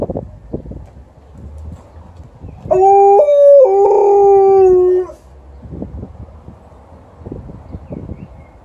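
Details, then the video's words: A female Alaskan Malamute gives a drawn-out howl that breaks, then slides downward, responding to a passing ambulance's siren. "Alaskan Malamute's 2 howls in 5 min"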